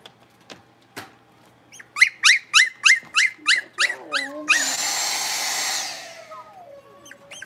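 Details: Indoor puppy pen with five blenheim Cavalier King Charles Spaniel puppies born at New Year's, playing; a quick, evenly spaced run of about nine shrill yapping barks, followed by a short burst of loud hissing noise.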